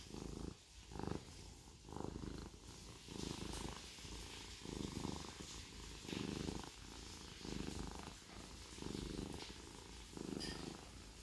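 A Siamese cat purrs in a low, steady rumble that swells and eases with each breath.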